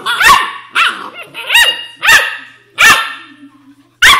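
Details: An Australian Shepherd puppy chatters in a series of high, arching yips and small barks, each rising then falling in pitch, coming irregularly every half second to a second with brief pauses.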